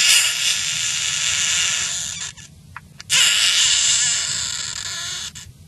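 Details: Screaming frog, caught and held, gives a sustained harsh high-pitched wail of over two seconds, breaks off into short sputtering notes, then launches into another long drawn-out scream.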